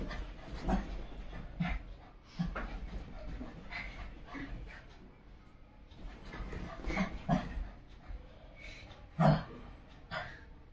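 A Shih Tzu gives short, gruff barks and grunts with whimpering and panting between them.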